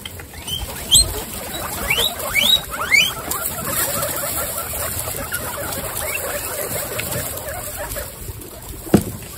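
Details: Several female guinea pigs in a large indoor group of twenty-six, reacting as if sensing something; short rising squeaks and chirps around one to three seconds, then quieter chatter over steady background hum and a faint knock near the end.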